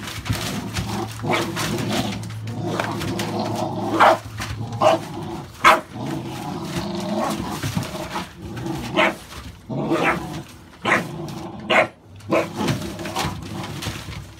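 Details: American Staffordshire Bully puppies, born 16 November 2017, barking in short, rough, irregular bursts, roughly one a second, with pauses. A low steady hum sits underneath during the first few seconds.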